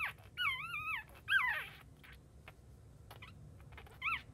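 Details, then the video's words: Just-born Chihuahua puppy whimpers loudly with wavering, high-pitched cries, a long quavering whine and a descending squeal, then short squeaks and small rustling clicks between calls, and a final rising whimper. "Chihuahua Newborn Puppy After Birth"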